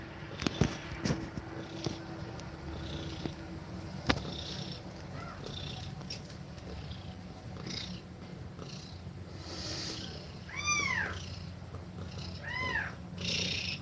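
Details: Mother cat breathing fast while feeding milk to her kittens, giving a steady low throbbing purr throughout, with a few sharp clicks early on and thin arched kitten mews near the end.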